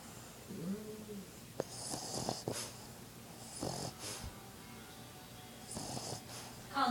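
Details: Sleeping puppy snoring: short breathy, rasping snorts that come in bursts about every two seconds, with a faint hiss between them. People talk quietly in the background.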